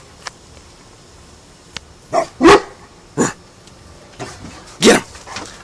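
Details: A dog being encouraged to guard, urged to get someone, lets out spaced, deep, loud barks about two seconds apart, with faint clicks and a quieter bark between. It lives in a household with an English mastiff and a Basset hound.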